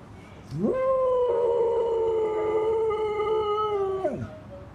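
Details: Pet dog howling in response to the repetitive sound of an old newspaper collector lorry; one long steady howl about three seconds, rising sharply at onset, holding level with rich harmonics, then dropping away.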